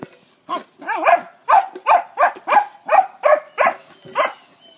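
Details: Jet, a foster pup in Bulverde, barking at a rock under his bowl: a run of about nine sharp, clear barks, spaced roughly every half second, each with a rising-falling tonal yelp quality.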